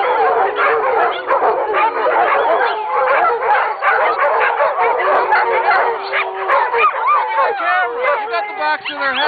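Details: Pack of dogs singing together: barks and yips crowd the first half, then clearer drawn-out howls with swooping, wavering notes stand out toward the end.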